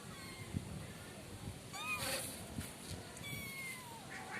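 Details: Five kitten siblings, not yet named, meowing: high thin arched calls, several overlapping between 1.7 and 2.2 seconds and again near 3.3 seconds, over low background rumble and handling noise.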